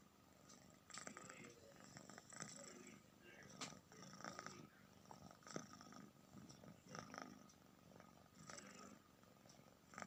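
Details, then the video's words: Domestic cat snoring: soft, breathy, rasping bursts recur every one to two seconds over a faint steady background hum, with quiet gaps between breaths. "snoring cat"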